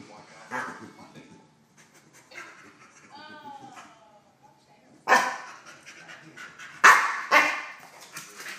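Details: Dog aged 10.5 months reacting to an intruder in its kennel: a few loud sharp barks at intervals, with a short whining harmonic sound in between and some human speech.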